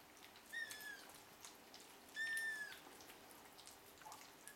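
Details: Hungry seven-week-old Ragdoll kittens from a breeder's litter at breakfast feeding time: two clear, high, drawn-out mews about a second and a half apart, the second longer and louder, over a quiet room.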